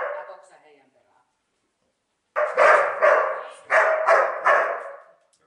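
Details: A Finnish voice trails off, a pause follows, then Neo, a dog herding sheep for the first time and annoyed by the stick, lets out five sharp, evenly spaced barks in a quick run.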